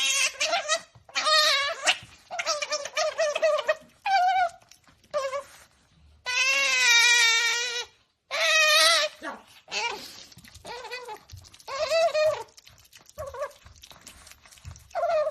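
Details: Otter Qoo, called a princess, voicing happy noises over her favourite meal: rapid chirping squeaks and wavering whines in varied bursts, some short and clipped, one long sustained squeal mid-way.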